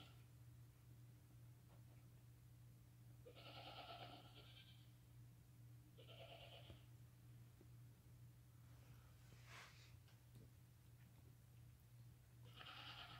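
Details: Newborn lambs less than five hours old, walking and nursing with their mother; a few short bleats at about 3.5, 6 and 13 seconds over a steady low hum.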